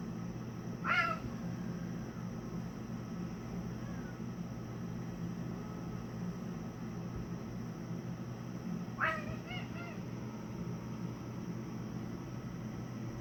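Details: Domestic cat making unusual noises to escape a looming fight with another cat; two brief harmonic, slightly wavering cries, one near the start and one around nine seconds with a short stuttering tail, over a steady low hum.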